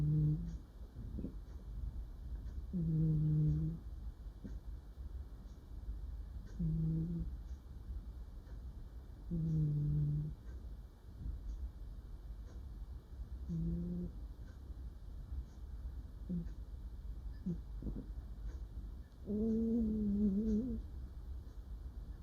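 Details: Sleeping cat, a female, murmuring as she dreams: short low hums spaced every few seconds with longer pauses, ending in a louder wavering murmur, over quiet room noise.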